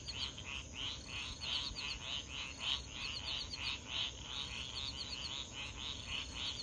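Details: Frogs calling at 3:00 AM near swamps at Foulpointe on Madagascar's east coast, 500 m from the ocean; rapid pulsed calls repeated about three times a second with high chirping notes over a steady hiss and low ocean roar.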